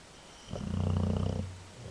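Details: Dog snoring loudly while asleep: a single low, rumbling snore swelling for about one second with a buzzy, vibrating texture, then fading into quiet room tone.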